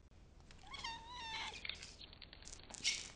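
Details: Kitten ten days after adoption giving a single drawn-out meow, rising briefly then held level for about a second, richly harmonic, followed by soft clicks and rustling noises in a quiet room.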